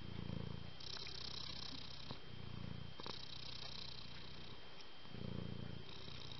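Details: Domestic cat purring: low, rhythmic, rumbling pulses rising and falling in slow breaths, with a steady high-pitched tone and faint hiss in the background.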